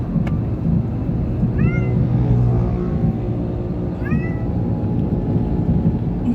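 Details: Munchkin cat on its first ride in a vehicle, described as scared or excited, gives two short meows that rise and then fall, a few seconds apart, over a steady low engine rumble.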